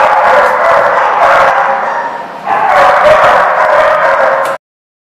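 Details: Several dogs in Rhode Island, 3 March 2014, barking and yipping over one another in a thick, continuous din that dips briefly midway before swelling again and cutting off.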